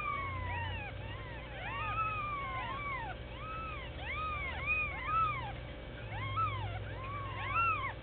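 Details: Litter of one-week-old Sphynx kittens calling together, with many short arched mews overlapping in quick succession from several kittens. The calls come in bursts and rise and fall in pitch over a constant low hum.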